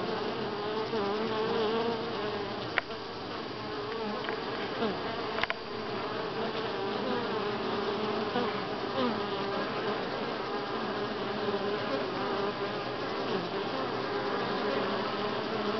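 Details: Week six at Grass Lake Sanctuary, July 25, 2011: massed honey bees give a continuous buzzing drone, its layered tones slowly wavering. Two sharp clicks come early on.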